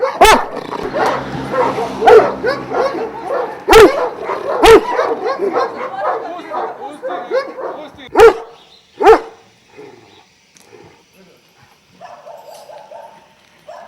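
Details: Several Šarplaninac dogs of Vujanski lineage at a kennel in Jasika near Kruševac: a dense chorus of overlapping barks with a few loud strikes, fading into quiet after about ten seconds, then a faint bark.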